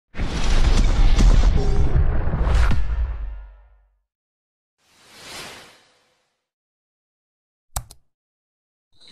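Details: Loud whooshing burst with explosive, booming effects for about four seconds, then a softer swoosh and a couple of short sharp clicks; no animal calls.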